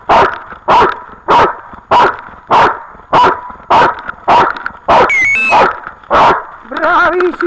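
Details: Dog recorded on 8 October 2013, barking in a steady run of about eleven sharp, harsh barks spaced roughly every 0.6 seconds, with a brief whistled tone and a human voice near the end.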